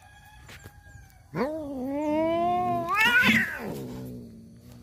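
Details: Male domestic cats fighting over a female: one loud drawn-out yowl, rich in harmonics, rising then holding steady and swelling into a harsher wavering wail before fading into a low growl.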